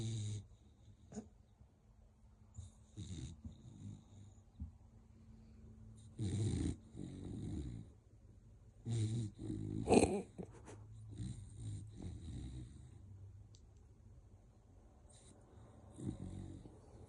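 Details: A sleeping American Bully named Grom snores at home: low rumbling breaths in irregular bursts, some louder growly snorts, with quiet gaps between them in a small indoor room.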